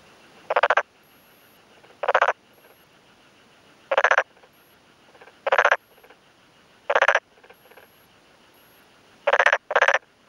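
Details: Black-spotted pond frog males in a flooded paddy field in rural Yamaguchi, Japan, on a May 2011 afternoon, one responding to another calling nearby; short pulsed croaks repeated every one to two seconds, some doubled, with softer calls in between.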